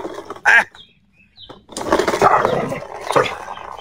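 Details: Pet dog Xiao Mi, happy with the weather today, lets out one short sharp bark, falls quiet, then breaks into a long noisy, throaty vocal stretch with a final louder yelp near the end.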